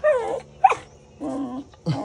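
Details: Dog, hungry and asking for food, making four talkative whining and grumbling vocal bursts, several sliding downward in pitch, separated by short pauses.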